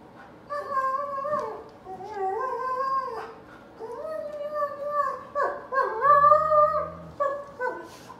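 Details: Alaskan Malamute Artie vocalizing indoors in a back-and-forth "conversation" with German Shepherd Riley: a series of talkative yowling howls, each a second or so long, bending up and down in pitch, separated by brief pauses.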